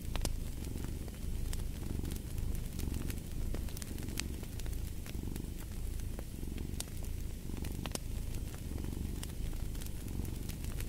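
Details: Cat's deep purring runs without pause, rising and falling about once a second as it breathes, while a fireplace crackles and snaps irregularly alongside.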